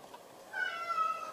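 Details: Pet cat playing an indoor game with its owner; one drawn-out, slightly rising meow of about a second, with a woman speaking Japanese just before and after.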